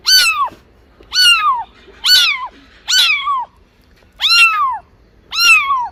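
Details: Six short, bright meows from cats and kittens come at a steady pace of nearly one per second. Each call rises quickly and then falls away, with no other noise.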